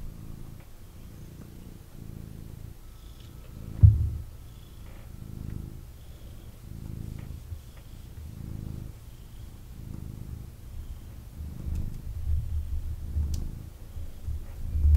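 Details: Male kitten purring while held and cuddled by its owner indoors; steady low rumbling purr in rhythmic swells roughly every second, with faint soft rustling and a brief bump near the four-second mark.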